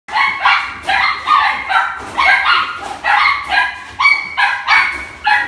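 A Miniature Dachshund gives a rapid series of high, thin yipping barks.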